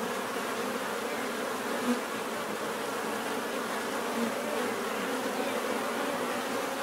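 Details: Dense buzzing of many bees forming a continuous drone, with a couple of short louder passes as single bees fly near.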